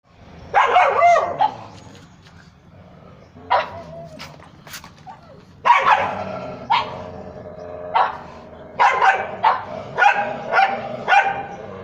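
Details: A pug barking at street dogs gives short, sharp bursts, some in quick doubles, with pauses between.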